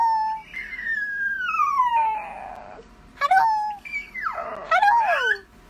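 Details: Playful miniature dachshund giving a long whine that slides steadily down in pitch, then a brief sharp yelp, followed by a wavering, overlapping howl-like cry rising and falling.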